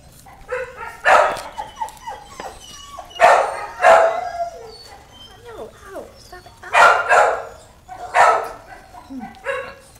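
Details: Young puppies yapping in short, sharp bursts about every one to two seconds, with thin whimpers and squeaks between the barks and some voices in the background.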